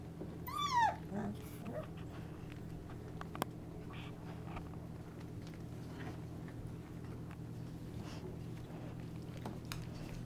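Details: Twenty-five-day-old Golden Retriever puppies from Mr. DJ and Alice's litter in their whelping box one evening; a single short, high, harmonic squeal rises and then drops near the start, then only a soft steady room hum and faint rustling follow.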